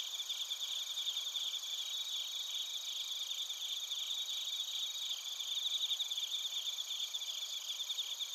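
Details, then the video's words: Crickets recorded in Narita, Chiba Prefecture, Japan, with a TASCAM Portacapture X8: a dense, continuous high chorus of several insects, steady trilling bands with pulsed chirps layered over it, and no other sounds. "スズムシとコオロギの鳴き声 - Chirping of crickets"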